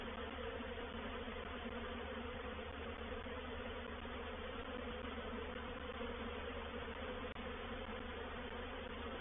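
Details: Reproductive swarm of honey bees moving into a bait hive at Painted Peacock Manor on 04/07/21: a dense, steady hum of countless wings with a low droning core, unbroken for the whole stretch.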